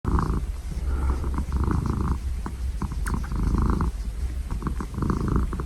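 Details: Domestic cat purring loudly and steadily, a deep rumbling vibration pulsing with each breath roughly every second, in close, continuous rhythm.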